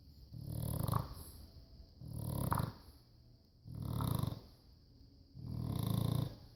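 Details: Rescued bulldog snoring in its sleep: four low, rattling, throaty snores, each about a second long, roughly every one and a half seconds, with softer breathing between.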